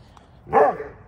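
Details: Vern, a rescued St Bernard with bone cancer, gives a single deep, harmonic bark while talking with the neighbourhood dogs; one loud woof around the middle, rising then falling.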